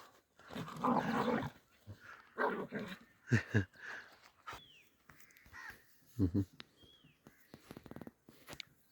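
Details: A mother dog defending her puppy from attacking village dogs: harsh snarling growls and short rough barks in bursts, with a few bird chirps and outdoor background.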